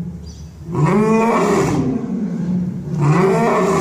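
A lion gives two deep, harmonic moaning roars, each swelling up then sliding down over about a second and a half, with only quiet ambience otherwise.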